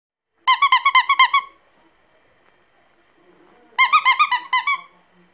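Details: Pomeranian puppy singing: two bursts of rapid, high squeaky yelps, about seven pulses each, packed into roughly a second, separated by a quiet gap with faint room noise.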